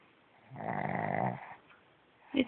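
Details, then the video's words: Male pug lying in bed, snoring emphatically while clearly awake to avoid getting out of bed: one drawn-out, low rumbling snore lasting about a second, followed by a brief sharp sound. "Snores to Avoid Getting Out of Bed"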